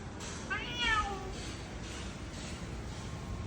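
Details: Domestic cat, one of three in the household, giving a single short meow with a falling tone near the one-second mark, then a low steady background hum for the rest.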